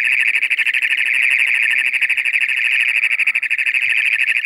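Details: Loud toad trill, a mating call in toad season once moisture comes in: continuous high buzzy pulsing on a single pitch, slightly uneven in rhythm, sustained through the whole stretch without a break.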